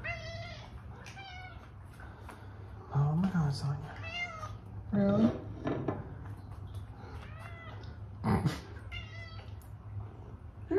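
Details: Indoor female pet cat begging for food with repeated insistent meows, bright harmonic cries coming every second or two, some bending upward, while a woman chats back to her in between.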